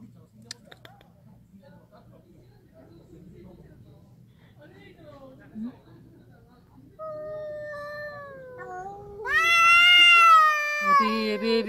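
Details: Two ginger feral cats in a territorial standoff, one starting a low drawn-out wail that rises into a loud, strained, wavering howl near the end, with soft indoor background hum before it.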